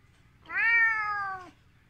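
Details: Ginger Siberian cat, indoors, meowing angrily when shown a hand, a sign it is getting annoyed and may bite; one drawn-out, steady, tonal meow lasting about one second, slightly falling at the end.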